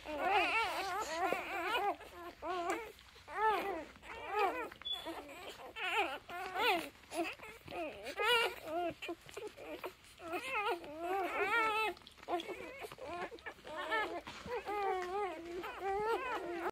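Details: Three-day-old Labrador Retriever puppies, sleepy and close together, give a steady stream of high, wavering whines and squeaky whimpers that rise and fall in pitch, overlapping one another with only short pauses throughout.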